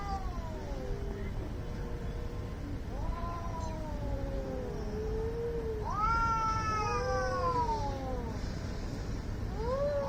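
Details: Angry cats fighting, likely in India, trading long wavering yowls that rise and sag in pitch, several drawn-out howls overlapping, over a steady low background rumble.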